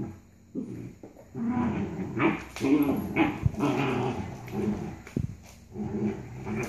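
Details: Two Labrador-Corgi mix puppies, Ally at about 4.5 months and Nala at 6 months, playing tug-of-war; low rumbling growls come in uneven bursts with brief snarly peaks, a human voice audible in between.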